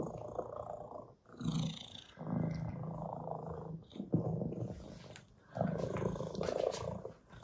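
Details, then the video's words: Cats, Russian blue and orange tabby, greeting each other by sniffing to show peaceful intentions; deep continuous purring in bursts separated by short pauses, with faint rustles between. "Cats Sniff Each Other"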